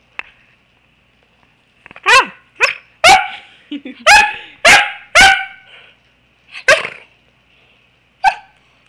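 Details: Pembroke Welsh Corgi puppy at play on a couch indoors, barking in an irregular burst of sharp, bright barks, some in quick pairs, trailing off into a few spaced single barks in a quiet room.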